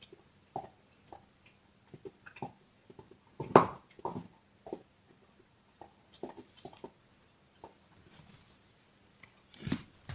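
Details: Dog chewing a bone indoors in a small room: scattered, irregular crunches and sharp clicks, with one loud gnawing crunch midway and a cluster of louder bites at the end, separated by quiet gaps.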